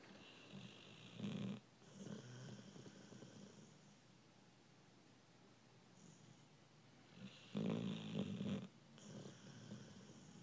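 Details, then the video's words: American Bulldog snoring in its sleep: raspy, rattling snores spaced about six seconds apart, each followed by softer snuffling breaths in a quiet room. "Snoring dog"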